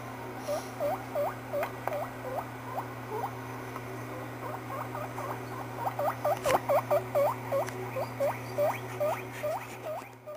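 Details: Smokey, a pet guinea pig, gives a rapid run of short, rising squeaks, several each second.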